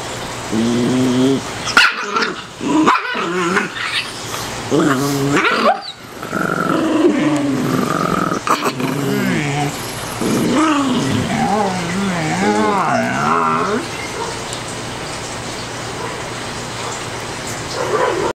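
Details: A Chihuahua x Dachshund mix growls while being teased by an Afghan Hound puppy that is annoying him; low rumbling growls with harmonic snarls, rising and falling, broken by short gaps, mostly continuous through the middle.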